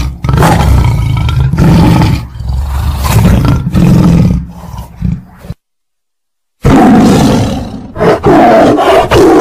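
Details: Deep, growling tiger roars in heavy low-pitched bursts, with a full silence of about a second in the middle, then harsher, brighter roaring.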